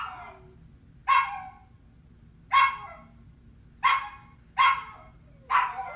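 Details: Puppy crying from feeling alone: five loud, short, piercing yelps spaced about one second apart, each dropping quickly in pitch, against a quiet humming background.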